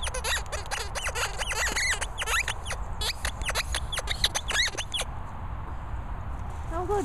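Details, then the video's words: Molly, a Staffordshire Bull Terrier, squeaks in a rapid run of high, sharply rising and falling whines for about five seconds, then goes quieter with a few faint squeals at the end; a person speaks briefly. "Staffordshire Bull Terrier Molly squeaking."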